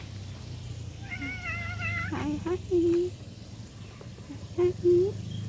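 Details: Domestic cat meowing: a long wavering tonal cry, then several short clipped mid-pitched mews in two bursts over a few seconds, with a steady low hum beneath.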